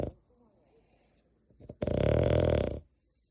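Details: Sleeping pet dog named Deokgu snoring indoors, loud enough to keep its owner short of sleep; a single long, rough, broadband snore lasting about a second follows quiet breathing and a few faint clicks.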